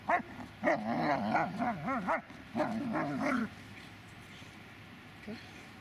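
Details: Magmar Von Der Burgstätte, a Dobermann, producing a run of wavering, sing-song whines and yelps that rise and fall rapidly for about three and a half seconds, then stops, leaving a quiet background with one faint whimper.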